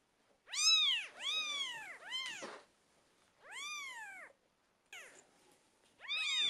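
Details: British Shorthair kittens at twelve days old, newborn litter: loud, bright, arching mews come in a quick cluster of three or four, then pause before further cries.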